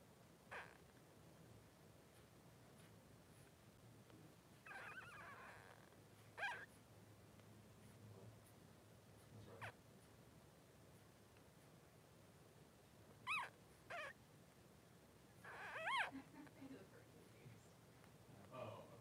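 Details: Three-day-old Blenheim Cavalier King Charles Spaniel puppies, two males in a newborn pen with mother Pom-Pom, give scattered thin squeaks and brief whines, spaced several seconds apart with soft rustling between.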